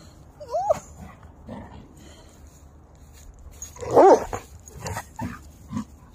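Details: Three dogs at rough play: Covi the German Shepherd Husky, Peaches the Wolamute and Mango the Great Pyrenees mix. Mostly quiet, then two short squeaky whines, one early and one louder near the middle, with soft huffs and scuffling.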